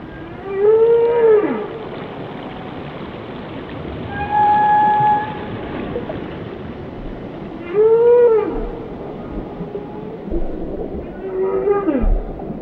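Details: Whale song: arched moaning calls that rise and fall, a long level tonal note in between, repeated at roughly four-second intervals, with faint low rumbles and background hiss.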